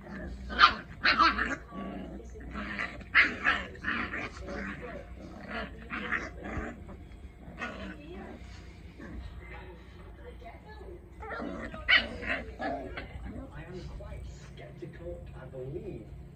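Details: French Bulldog play fighting with a Chihuahua puppy, giving short, rough growls and yips in bursts, with a person speaking briefly.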